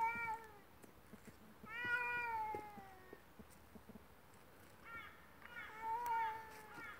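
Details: Two cats fighting: drawn-out, wavering yowls that slide downward, three main bursts with harmonic wails, separated by quieter pauses with faint clicks.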